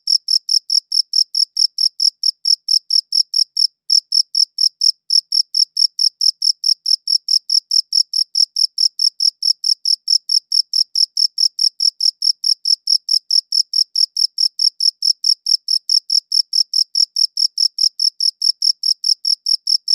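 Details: Crickets chirp on and on through a good audio recorder, a shrill pulsing stream of rapid, evenly spaced chirps that barely pauses once near the start. No other noises intrude.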